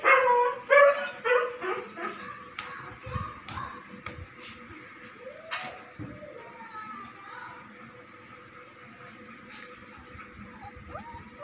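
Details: German Shepherd Dog giving a burst of loud, harmonic barks and yips in the first two seconds, then spaced sharper barks fading into quieter background noise with scattered clicks and a few short whines.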